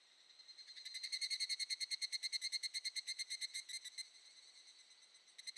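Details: Wild evening cicada (Tanna japonensis) on a summer evening in mid-July, mountains of Shinetsu, Japan: a rapid ringing series of high pulses, about ten per second, swelling loud then fading over three seconds, with a new burst starting at the end.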